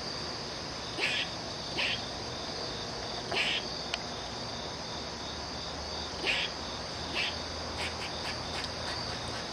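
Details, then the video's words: An angry squirrel gives short, harsh chips at irregular intervals over a steady high insect drone. "Angry Squirrel making a weird sound (ultimate)"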